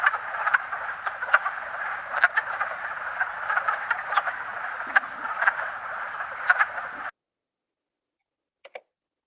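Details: Wood frogs calling in a vernal pool during mating: an individual male gives short quack-like clucks over a dense chorus of other wood frogs, the calls rising above a steady murmur for about seven seconds before it cuts off to near silence.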